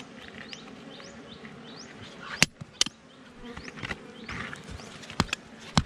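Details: Wild honey bees at a forest hive under rocks, being harvested for honey: a steady low droning hum runs throughout, broken by sharp chopping knocks and a few thin bird chirps.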